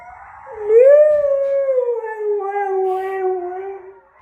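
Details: Male husky howling in reaction to wolves howling: one long, smooth howl that rises briefly, then slowly falls and fades over about three seconds.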